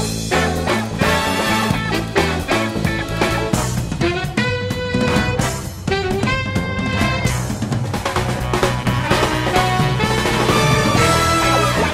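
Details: Loud upbeat band music with drums and guitar fills the whole stretch, and no animal sound is heard.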